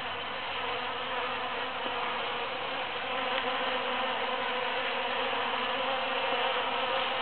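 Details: A swarm-like hum of busy bees foraging in huge cactus flowers after the June 22, 2013 Super-Full Moon, steady and dense, growing slightly louder in the second half.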